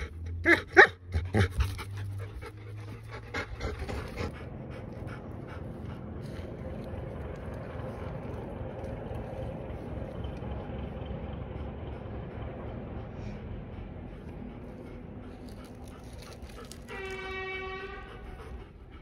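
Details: Bernese Mountain Dog panting steadily for a long stretch, rapid rhythmic breathy puffs about three to four per second. A few loud thumps open the sequence, and a brief high tonal whine sounds near the end.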